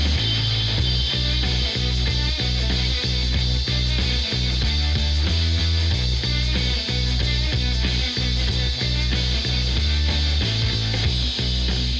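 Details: Loud rock music with steady drums and heavy bass throughout, and no animal sound.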